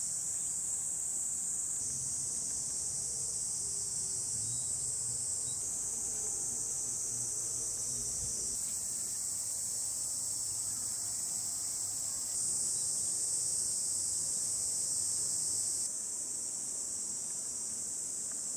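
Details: Cicadas shrill loudly in a steady, high-pitched, barely wavering drone on a hot, sunny July 2021 day in the countryside of Hiroshima Prefecture, Japan.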